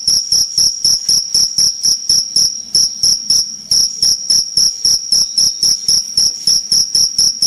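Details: Energetic cricket calling in a long run of piercing high chirps about four per second, with a short slightly softer, blurred stretch midway before the sharp rhythm resumes.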